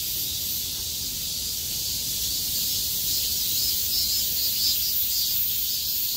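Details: Chorus of cicadas after the downpour ended, 6 August 2020, insects vibrating with full strength once skies cleared; continuous bright buzzing wash high up, steady in loudness throughout.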